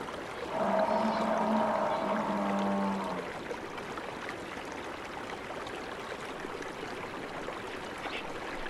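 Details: Wild buffalo in a savannah setting giving a drawn-out, low, harmonic moan that lasts about two and a half seconds and then fades, leaving a steady background hiss of insects and outdoor ambience.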